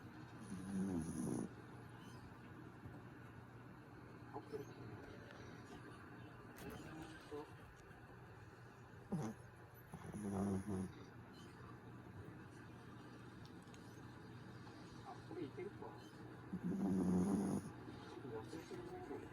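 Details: Pet dog snoring while asleep: three rough, throaty low snores, each lasting about a second and spaced roughly eight seconds apart, with quiet breathing and faint room noise in between.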